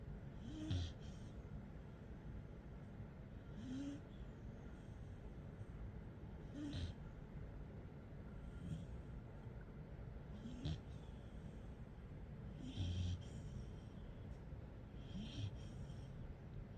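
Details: A 3-month-old Rottweiler puppy snores softly, a low rasping breath repeated every few seconds.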